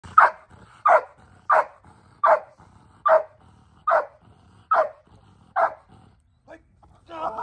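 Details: Jax, a large male Belgian Malinois elite protection dog, in protection training biting a man wearing a hidden sleeve; eight loud, sharp barks come in a steady series about every 0.7 seconds, followed by a brief softer sound at the end.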